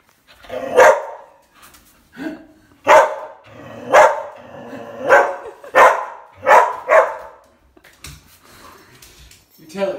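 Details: Husky mix threatening a bug while holding a ball: a string of short, grumbling woofs and growly barks, about eight in ten seconds, with a person speaking briefly.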